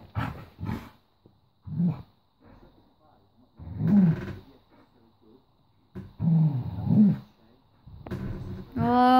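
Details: A female Golden Retriever called Honey, guarding her toy, gives deep, rasping growls in several separate bursts a few seconds apart. A woman talks to her between the growls, and a higher voiced sound ends the clip.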